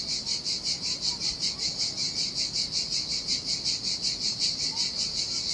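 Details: Hot-weather cicadas on a lonely Sardinia shore, their piercing buzz pulsing steadily at about 162 beats a minute, clean and rhythmic over a soft hush of water.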